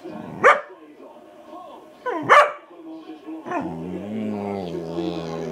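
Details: Obi, a pet dog, barking then moaning: two sharp barks about two seconds apart, a softer third bark, then a sustained low, wavering moan with steady harmonic tones.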